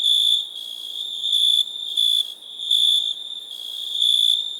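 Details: ['Shrill cricket chirps, four or five short high trilled bursts, each under half a second. Softer ringing fills the gaps between them.']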